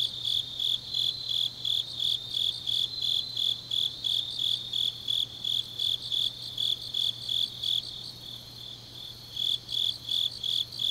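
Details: Night-time grass insect song from Changnyeong, Korea, in deep autumn: rapid high chirps pulsing about three times a second, fading briefly in the middle before resuming strongly, over a soft constant low hum.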